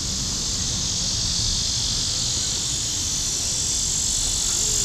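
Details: Cicadas singing at midday on July 5, 2010, in Forsyth Park, Savannah, Georgia: a loud, unbroken high-pitched buzzing drone that holds steady throughout, over a low rumbling background.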